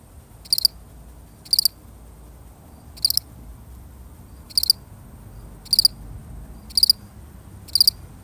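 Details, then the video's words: A solitary cricket chirps high and bright, short pulsed bursts about once a second, with slightly irregular gaps and a soft low background hum. "The sound of one lonely cricket"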